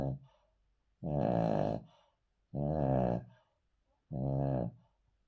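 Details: Deep, vibrating snores from an asleep male Cavalier King Charles Spaniel resting on the floor, three long rasping breaths at a regular pace of about one and a half seconds, quiet in between.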